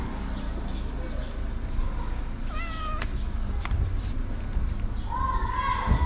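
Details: A homeless street cat asks for love and food by putting his feet on a person's knees. It gives two rising, harmonic meows, one near the middle and one at the end, over steady low outdoor rumble.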